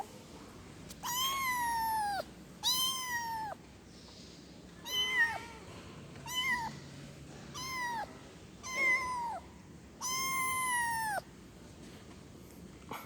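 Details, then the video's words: Kitten meowing for its mother in a steady series of about eight calls, some long and flat, others short and falling, spaced one to two seconds apart, with a brief faint squeak between. "efek suara anak kucing mengeong memanggil emaknya"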